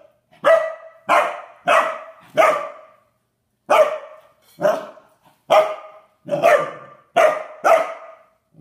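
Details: A standard poodle puppy barks at his water dish in two bursts: four sharp, ringing, mid-pitched barks, a brief pause, then five more, each with a quick fading tail; the dish eventually tips over.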